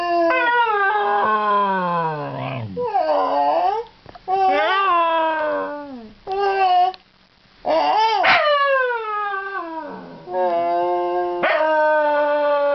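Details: Scottish Terrier named Basil howling and talking as if saying hello, a run of sliding, wavering howls that rise and fall in pitch, some ending in downward glides, with brief pauses between vocal bursts and a faint low hum beneath.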